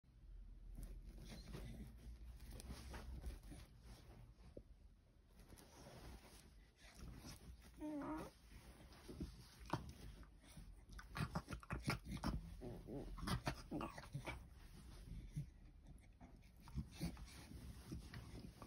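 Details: Female Beagle indoors, grumbling with pig-like noises because she cannot get comfortable: low, rough snorts and huffing grunts in irregular bursts, with one brief higher whine midway, in a quiet room.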